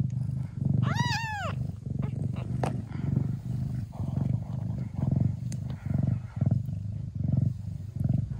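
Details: Mia, a Thai (traditional Siamese) mother cat in the Netherlands, purrs deeply, steadily and hard while nursing her hungry Siamese kittens, with a single high kitten mew near the start.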